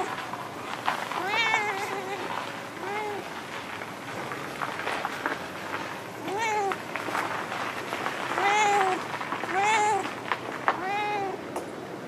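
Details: Talkative female stray cat that always stays in a park car park, meowing repeatedly in a chatty series of rising-falling, slightly harmonic meows, about seven calls over twelve seconds, some short and chirpy, others drawn out.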